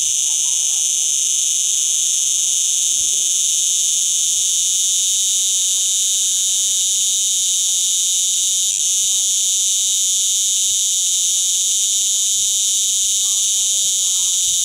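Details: Cicada calling from the wall of a holiday villa in Portugal in August 2011, a steady, loud, high-pitched buzz that holds unbroken throughout with no pauses.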